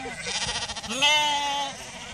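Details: An Icelandic sheep from a bleating chorus gives one drawn-out bleat, shaky and pulsing at first, then a steady nasal tone held for about a second before fading.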